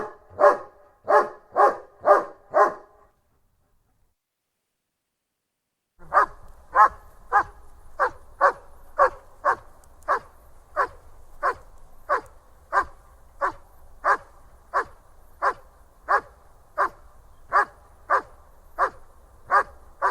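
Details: A German Shepherd gives a fast burst of five barks, falls silent for about three seconds, then resumes with a long, steady series of over twenty barks over a low background rumble.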